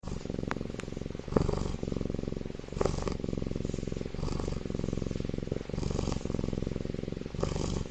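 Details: Baby tiger sleeping comfortably in an incubator, snoring loudly: a steady low rumbling drone with pulsing texture, broken by short breathy rasps at irregular intervals.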